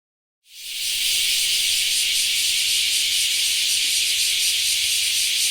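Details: Bear cicada (kumazemi), a Japanese summer cicada: a loud, dense, hissing buzz that starts suddenly and holds steady without a break for about five seconds.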